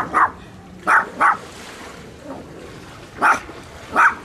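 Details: A dog barks in short bursts, recorded handheld with a Sony FDR-AXP55 camcorder: one bark, then a quick pair, a quiet pause of about two seconds, and two more spaced barks. A faint background hum runs throughout.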